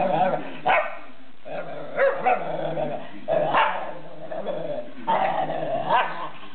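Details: Taunting whippet producing repeated rising, whining yowls about once a second, each swelling then falling into a low grumble, a talking-like 'yabull yabull' pattern aimed at another dog.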